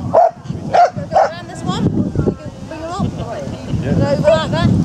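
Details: Japanese Spitz barking during agility at Spitz in the Park, held between Tewkesbury and Evesham in July 2015. Three quick yappy barks open, then people talking over the outdoor event.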